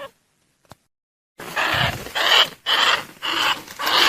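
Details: Lure recording of greater bandicoot rat calls: after more than a second of near silence with one click, rough broadband squeals repeat about twice per second, loud and grating, with a faint tone inside.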